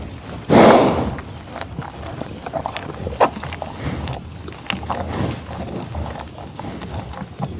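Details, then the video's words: Bison on tallgrass prairie at Pawhuska, Oklahoma: a sharp loud snorting sniff at the start, another short burst after three seconds, then soft low grunts and rustling. "Buffalo Sound Effect"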